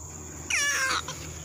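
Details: Very young baby proboscis monkey, its teeth not yet come in, utters one loud, rich half-second wail that drops in pitch, followed by a faint short echo note, with low humming in the background.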